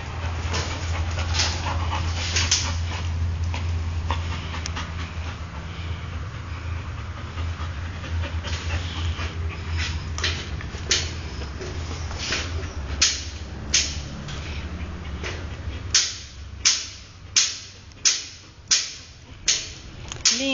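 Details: Golden Retriever named Luke, born 22 December 2009, recorded 19 May 2010. Breathy broadband puffs come loosely at first, then settle into a steady rhythm about every 0.6 seconds near the end, over a low droning hum during the first three-quarters.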